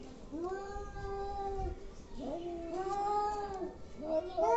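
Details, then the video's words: Angry cats giving weird noises: drawn-out moaning yowls that swoop upward at the start and hold a steady wavering pitch, followed by a rising, strained wail at the end. "Angry cats making weird noises"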